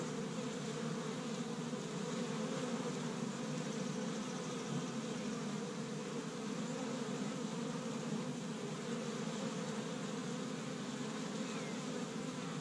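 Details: Honey bees from an established hive, busy on the first warm spring day in Michigan, gathering pollen from tree buds. A dense, steady buzzing hum of many wingbeats, unbroken throughout, with a strong low drone and fainter upper overtones.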